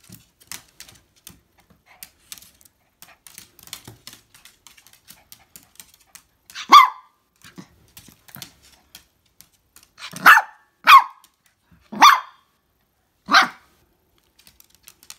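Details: Toy Poodle named Koron crying while spinning round and round: short sharp yelping whines at irregular intervals, about five louder cries in the second half, between soft clicking taps like claws on a hard floor.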